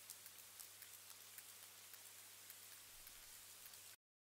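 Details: Several sperm whales (Physeter macrocephalus) echolocate at once to sense their surroundings, the way they see underwater. Their continuous clicks make a dense, irregular crackle like a crackling fire or snapping shrimp, a sound that can go on for hours.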